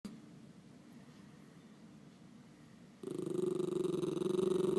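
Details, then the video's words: {'caption': 'Miniature Schnauzer indoors making cute, funny noises: after three quiet seconds, a loud low pulsing grumble starts and keeps a steady, throbbing rhythm to the end.'} "Miniature Schnauzer Making Cute Noises"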